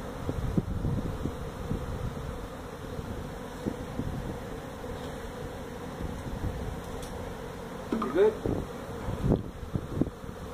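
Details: Honey bees from a feral hive built inside a tractor tire at a Mission, Texas citrus orchard, buzzing during removal; a continuous low droning swarm sound, with a few human voice fragments late in the clip.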